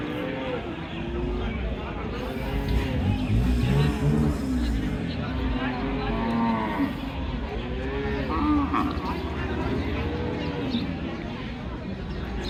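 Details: Water buffalo at the Hazratpur village cattle market in Bangladesh, 2025, giving repeated low, drawn-out moaning calls that rise and fall in overlapping arcs against a steady murmur of market crowd noise.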